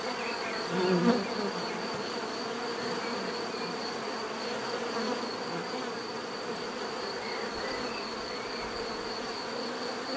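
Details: Bees humming in a steady natural drone, loudest in the first second as one flies close, with a constant thin high-pitched insect tone running throughout.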